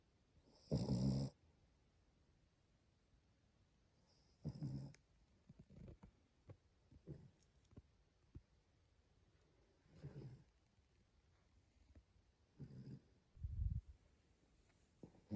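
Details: Female French Bulldog puppy asleep, snoring in short, low, rough bursts a few seconds apart, with quiet stretches between them; a soft greeting is spoken at the end.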